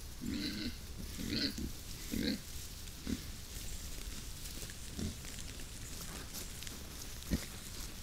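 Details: Early morning on 13 September, a herd of wild boar (Sus scrofa) in forest near Vilnius, Lithuania, investigates a trail camera, pushing snouts into the lens; a quick run of rough, nasal grunts fades into soft rustling.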